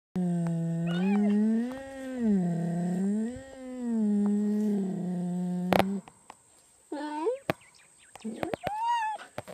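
A cheetah gives a long, low, wavering meow, then a few short rising mews.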